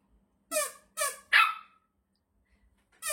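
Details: Shih Tzu dog, irritated by a whistle sound, giving three short harmonic barks in quick succession and a fourth after a pause, indoors with no other clear sounds.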